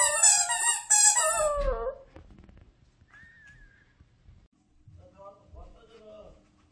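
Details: Maltichon dog named Gang-i, indoors, 'singing' a tune-like wail along with its loudest squeaky toy: bright high squeaks, then a drawn-out descending whine, and after a pause a faint, wavering, quieter whine.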